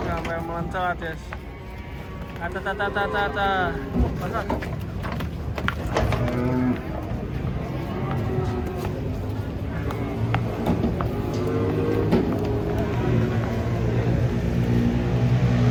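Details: Giant cow being unloaded from a truck and trodden on by a companion. Voices and shouts come first, then deep, drawn-out lowing builds and holds over the final seconds amid crowd noise.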